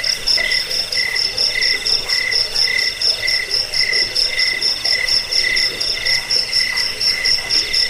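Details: Cricket sound meant to scare off rats and for songbird training: an even series of bright, trilled chirps, about two a second, in a high and a lower pitch, over a faint continuous buzz.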